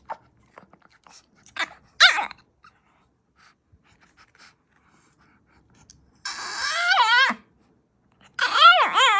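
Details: Dogs making strange sounds indoors: faint clicks and a short squeal, then two bursts of wavering, yodel-like whining that rises and falls rapidly, each lasting about a second.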